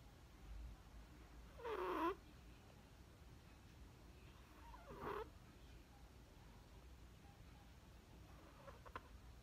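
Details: Chihuahua puppy named Perchik, asleep and snoring again, 12 October 2020: two squeaky, whistled nasal tones about three seconds apart, each sliding downward, over quiet room hiss.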